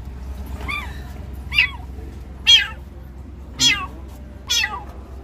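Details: Hungry newborn kitten calling for its mother: five thin, high-pitched meows, each rising then falling, spaced about a second apart over a steady low background hum.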